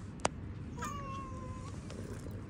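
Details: Domestic cat letting out one long, flat, drawn-out meow after a sharp click, over steady low background hum.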